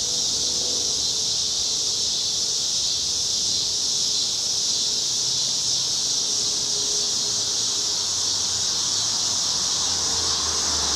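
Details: Chorus of cicadas heard from a Chicago street on an overcast August evening in 2010, an even high electric-sounding whine sustained throughout, with low vehicle rumble and faint humming tones in the background.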